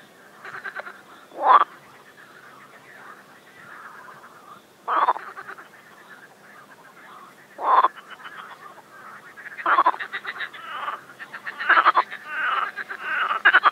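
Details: A frog in an overgrown pond gives harsh, rattling mating croaks in loud bursts every two to three seconds, softer pulsed croaking between, thickening toward the end; warm spring sun, Shchelkovsky district, Moscow region, Russia, May 25, 2021.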